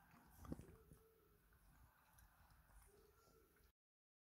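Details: Four-day-old Cavalier King Charles Spaniel puppies give two faint, thin whimpering tones, the first near the start and a second shorter one toward the end. Soft wet sucking and shuffling noises come from close by indoors.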